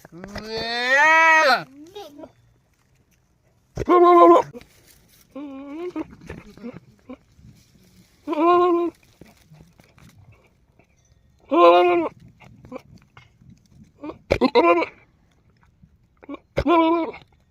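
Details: Male goat on a farm bleating repeatedly, about six nasal, harmonic-rich calls spread over roughly seventeen seconds at uneven gaps of two to four seconds, with softer short grunts and faint rustling between them.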